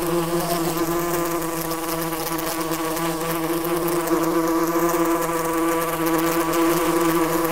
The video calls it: Yellowjacket Sounds 🐝 Yellowjacket Sound Effects 🐝 Wasps Buzzing